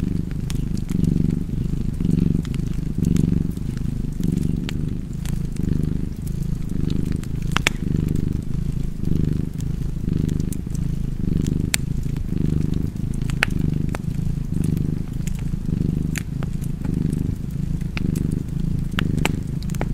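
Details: Cozy cat purring steadily beside a fireplace, a deep rumbling throb rising and falling with each breath, while sharp wood-fire crackles and pops scatter through the background.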